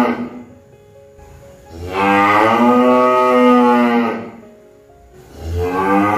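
A cow gives a long, deep, harmonic-rich moo, then begins another.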